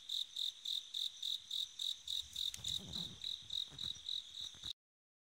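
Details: Autumn-night bell cricket repeating tinkling, high, pulse-like chirps about three or four per second, while a low rustling or handling noise rises briefly in the middle; the sound stops abruptly before the end, leaving silence.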